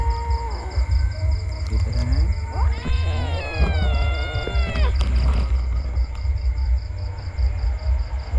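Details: Kitten giving one long, drawn-out meow of about two seconds, rich in harmonics, holding steady then dropping at the end, with a brief shorter cry before it, over a constant low rumble and a rapid pulsed high beeping.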